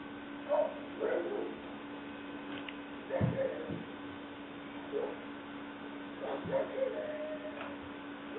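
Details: Leah, a female English Springer Spaniel pup at six weeks of age, black and white tricolour, 5/11/09, lets out irregular squeaky yips and thin whines amid faint room noise and a low hum.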